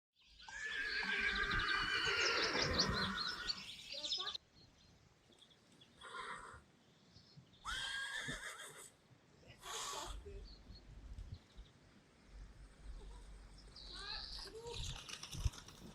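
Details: Friesian horse, one of Rising Star and Reintje, at a photo session: a long, strong, quavering whinny in the first four seconds. Shorter calls, quiet Dutch voices and handling noises follow.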